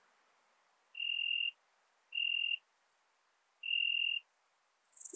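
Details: Ringed bush-cricket at Biedermannsdorf in Austria on 8 August 2022, heard via a Pettersson D 100 ultrasound detector. Three even, flat tonal bursts of about half a second come at uneven gaps, with quiet background hiss between them.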